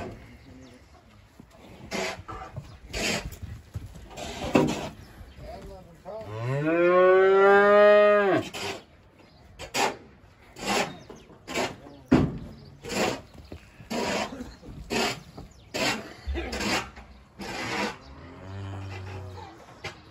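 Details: Long drawn-out moo from a Simmental heifer being loaded onto and unloaded from a truck after purchase at an animal market. The low bellow swells and rises slightly for two seconds, followed by a steady series of sharp knocks and clatters.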